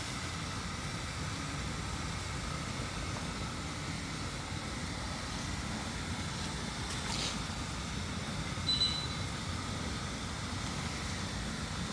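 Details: Constant vehicle-like rumble with a short high electronic beep near the end, and no animal voice.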